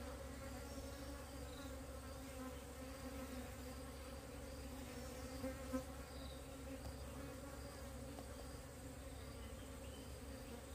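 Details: Wild bees from a colony that split off, being relocated: a steady low droning hum with two sustained bands, continuous and even throughout, with faint background hiss.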